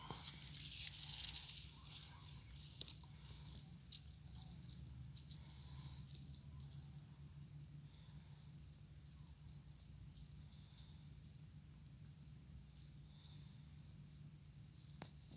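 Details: A rice-field cricket gives a steady, high, shrill trill that runs almost without a break.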